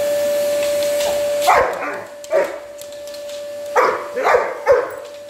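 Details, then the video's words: Over the steady drone of a vacuum cleaner, a large Black Labrador, Samur, weighing 110 lbs, lets out a quick pair of barks, pauses, then fires off three more gruff barks. "Big Black Labrador barks at a vacuum cleaner"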